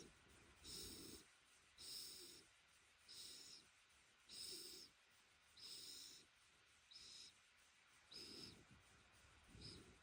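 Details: Shiba Inu Ranmaru, being stroked on a futon, lets out whistling 'fii' nose-breaths while its head is rubbed. Hissy exhales repeat steadily roughly every 1.2 seconds over quiet background breathing.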